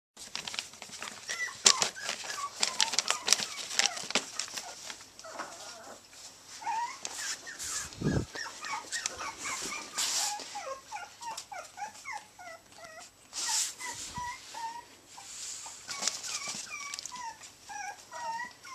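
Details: Three tiny teacup Chihuahua puppies playing together in Houston, Texas, giving many short, high yips and squeaky whines that bend downward, overlapping one another, with scattered clicks and scuffling noises throughout.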